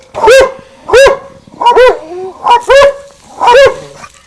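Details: Winston and Popeye, two pet dogs, bark over the garden fence; five strong, slightly hoarse barks, some doubled, come about every half second to second, with faint tonal whines trailing between them.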